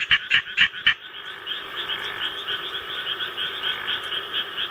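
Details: Japanese tree frog kept as a pet, calling in response to rice-paddy recording playback; four loud, harsh close croaks open the clip, followed by a steady, softer pulsing frog chorus from the recording.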